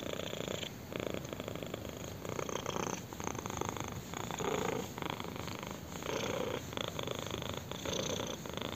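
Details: Kitten purring steadily while being scratched on the chin, a dense continuous rumble swelling in soft waves about every second and a half, quiet indoor background.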